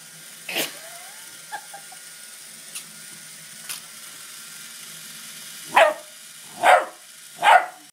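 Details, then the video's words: Playful Doberman puppy during a pedicure: a few faint clicks and taps, one early yelp, then a quick run of three sharp, bright yips near the end, each under a second apart. "Doberman puppy playing with a pedicure"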